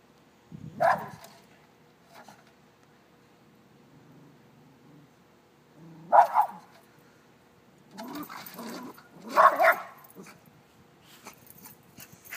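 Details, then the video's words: A Shih Tzu gives a few sharp, excited barks spaced several seconds apart, some doubled into quick pairs. She is barking at the big dog next door. "Shih-Tzu Barking At Dog Next Door"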